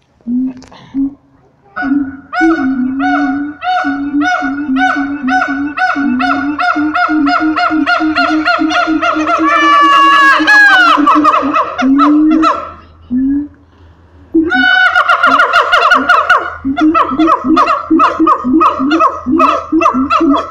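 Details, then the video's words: Siamang apes at Taronga Western Plains Zoo in full loud chorus: repeated hooting notes building into rapid rising whoops and a climactic sliding bark series, then another burst of loud rhythmic hoots after a brief pause. "The Siamang Ape's at Taronga Western Plains zoo going bananas"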